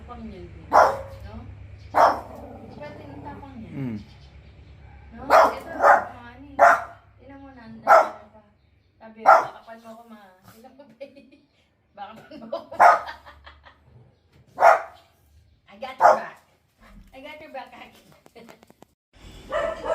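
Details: Two pet dogs, a puppy among them, bark in a playful burst: sharp, short barks come singly or in quick pairs every second or two over twenty seconds, with quieter stretches and some voices in between.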